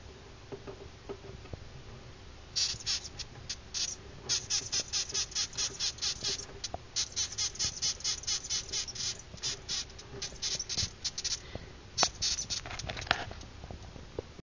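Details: Newly hatched death's-head hawkmoth, Acherontia atropos, filmed in poor light. It gives rapid trains of sharp, high, crackling pulses in bursts of several per second, with short pauses between the runs, over a low hum.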